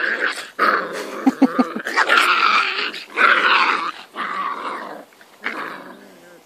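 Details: Springer Spaniel pups, five weeks old, playing in a garden: loud rasping growls and squeals in repeated bursts about a second long, with quick yips between.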